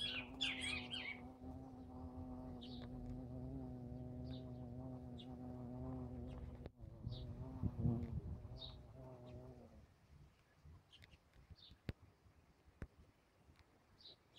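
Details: Bumblebee buzzing in a continuous low droning hum with rich overtones for nearly ten seconds, wavering slightly in pitch before dropping away. Bright bird chirps sound at the start and sporadically throughout, with faint clicks near the end.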